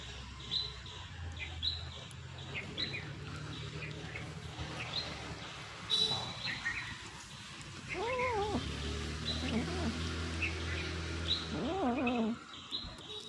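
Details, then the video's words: Cat making noise while eating fish: a few short, wavering, mid-pitched calls near the end, over a low steady hum with high bird chirps throughout. "Cat#eating #fish #making noise"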